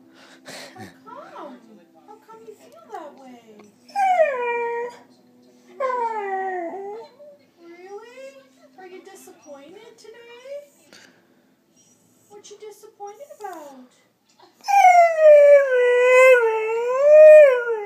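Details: A 7-month-old female Border Collie under a year old "talks" and "sings" with wavering, rising and falling whines and howl-like yodels, with a person speaking briefly.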